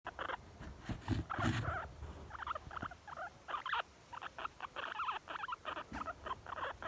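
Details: Young female guinea pig, very content, giving rapid runs of short squeaky pulses, bursts clustered with brief pauses, a few louder broadband rustles early on.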